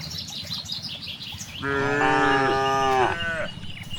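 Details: A single sustained moo, steady and richly harmonic for about one and a half seconds, rises from cows grazing in a large rice field, preceded by light bird chirping and breezy rural background.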